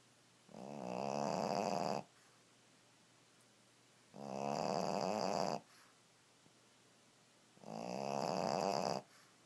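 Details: A Pekingese napping on a bed snores steadily with drawn-out, rattling inhalations about every three seconds; each breath swells quickly, holds a buzzy, fluttering tone, then stops abruptly, with quiet pauses between.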